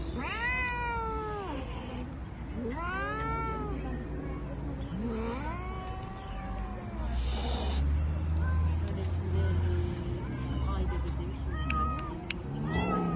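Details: Turkish Van cat among feral cats handled by a spay and neuter group, giving long drawn-out rising then falling meows, several in a row, over steady low hum and background noise.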